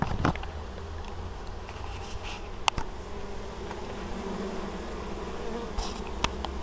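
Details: Honey bees at an apiary in Moszczanka, Opole Voivodeship, Poland, on 19 August 2013, busily carrying honeydew. Many bees hum in a dense, steady low drone, with a few sharp clicks and ticks.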